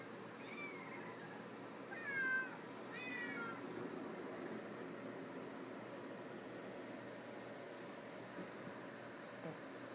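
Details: Cats and kittens meowing from a tablet recording played indoors as a house cat hunts for the callers: three quick wavering meows in the first four seconds, then only a quiet room hum.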